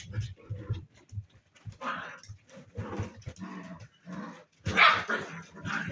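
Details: Playful seven-week-old spaniel puppies: low growly grunts early on, then higher yelping barks and squeaky yips, the sharpest one near the end, in a small indoor room.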